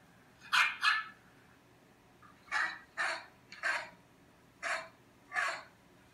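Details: A dog barking next door, heard from indoors: sharp, loud barks mostly in quick pairs, seven barks across six seconds with short pauses, over a faint low background hum.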